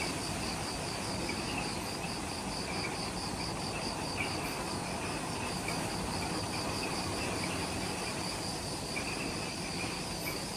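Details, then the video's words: Insects in the jungle of Ishigaki Island, Okinawa, Japan, at the Mount Omoto trailhead just after sunset: high pulsing trills in two bands over a steady deep rumble of low background noise. "Forest Twilight Sounds – Ishigaki Island | Relaxing Jungle Ambience with Insects"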